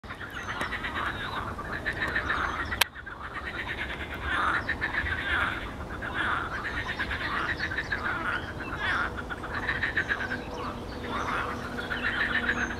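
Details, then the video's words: Frogs calling in a pond on 12 May 2022, a dense chorus of overlapping rattling croaks pulsing steadily throughout, with faint bird chirps above and a single sharp click early on. "Żaby w stawie."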